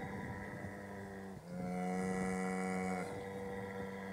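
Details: Irish cow mooing: one steady, low, droning moo with rich harmonics held for about one and a half seconds over a faint background hum.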